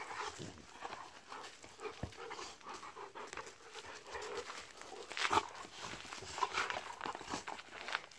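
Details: Two Golden Retrievers at a workplace, excited on realising a lunchtime walk is coming, July 2017. Quick breathy panting runs throughout with short louder bursts, plus faint rustling and background noise.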